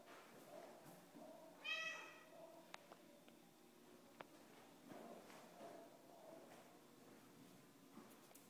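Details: Domestic Shorthair cat at an adoption shelter, one short high meow with stacked harmonics near two seconds, then quiet room noise with faint clicks and soft background sounds.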